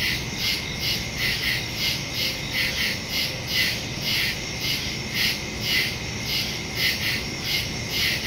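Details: Crickets chirping at night in the woods, recorded September 2 on a phone with a stereo microphone; a dense chorus of high pulsing chirps, several per second, with a steady tone below and faint low hum.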